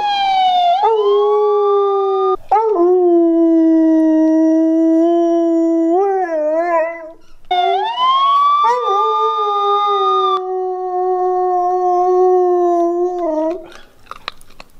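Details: A Siberian Husky howls in a tantrum in response to sounds played from a speaker: long sustained tonal howls, held level then wavering and bending, broken by short pauses, loud and close throughout.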